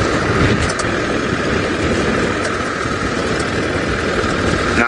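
A steady vehicle engine rumbles throughout, with faint voices and no animal calls.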